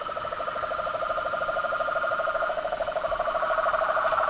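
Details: Frogs, toads and treefrogs calling together at dusk by a house pond: a steady fast pulsed trill over a higher continuous buzzing chorus, growing slightly louder.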